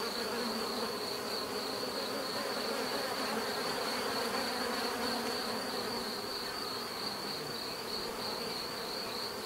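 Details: Many bees humming together in a thick, even drone, a continuous buzzing wash with no pauses and little change in loudness throughout.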